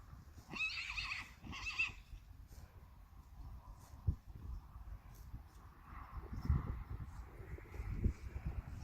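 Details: Friesian horse in a herd of mares and young fillies let outside for the first time, spring, 30 March 2019; two loud shrill whinnies in quick succession, each wavering and harmonic-rich, followed by hoof thuds and rustling.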